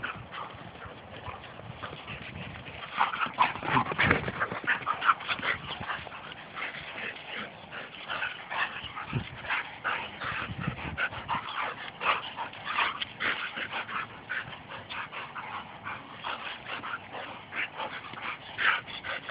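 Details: Pair of Labrador retrievers playing rough in a wrestling match, giving a long stream of rapid, raspy growls and whining yips, densely packed and irregular, with bursts of louder scuffling near the start.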